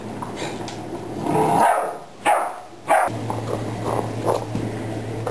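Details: Ten-week-old puppy barking at a water bottle, tiring himself out: a few yappy barks and whines in quick succession, followed by softer rustling and a low steady hum in the room.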